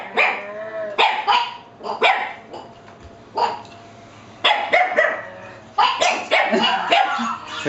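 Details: Two pet dogs keep barking at a parrot they appear to fear; repeated sharp barks in irregular bursts, some overlapping and yelping, with brief pauses between volleys.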